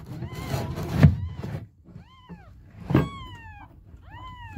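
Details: Hungry baby kittens meowing for their mother: three clear, arched meows that rise and then fall, each about half a second long, separated by pauses, with soft thumps and rustling nearby.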